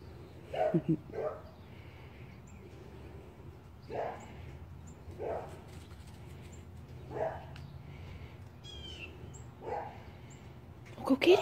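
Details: Two dogs, Kodi and little Shiva, playing together for the first time; short, high, sharp yips come in irregular bursts every one to three seconds, some doubled, with a brief chirping bird in the background.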